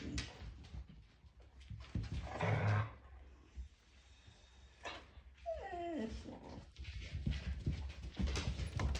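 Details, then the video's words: A five-week-old Siberian Husky puppy tries to howl: one brief, wavering, falling whine lasting about a second in the middle. Shuffling, bumping and handling noises fill the rest. "I try to howl.. 5 weeke Old"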